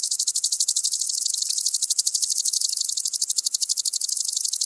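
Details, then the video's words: A common green grasshopper (Omocestus viridulus) gives a fast, dry ticking buzz of rapid, evenly spaced pulses, recorded in Tschenn, Italy, on 19 August 2019. "Omocestus viridulus -- Bunter Grashüpfer -- Common Green Grasshopper"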